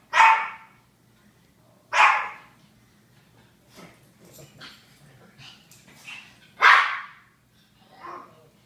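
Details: Japanese Chins barking: three loud separate barks spaced a couple of seconds apart, with soft scattered yips and rustling between and a quieter bark at the end.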